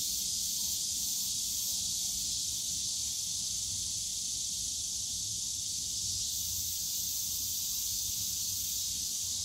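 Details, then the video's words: High, hissing buzz of cicadas filling the bamboo forest of Yongsan Family Park in summer, constant and even in loudness from start to finish over quiet low park rumble. "용산가족공원 대나무숲 매미소리"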